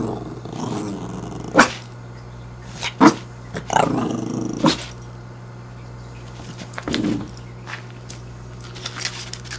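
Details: Staring annoys six-month-old Fidget the dog, who answers with low rumbling growls broken by short sharp yaps at irregular intervals, fairly quiet overall with a constant background hum.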